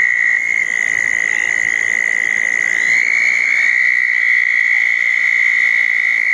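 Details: Southern toads gathered at small ponds after a June 10, 2014 thunderstorm give a sustained high trill. A second, slightly different trill overlaps partway through, forming a dense chorus.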